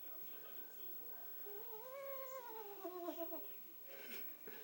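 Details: Chloe, a pet domestic cat indoors and described as still shaking, gives a long tonal meow that climbs, holds, then sags over about two seconds, rich in overtones. Human chatter sits before and after.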